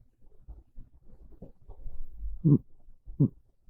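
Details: Monta, a pet cat, dozing on a bed on a chilly rainy afternoon; quiet low breathing sounds build into two short, throaty snores about three quarters of a second apart, no other sounds.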